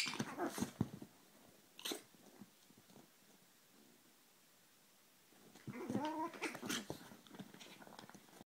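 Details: Two Chihuahuas clashing in a squabble, with harsh snarls, yelps and short high yaps in bursts.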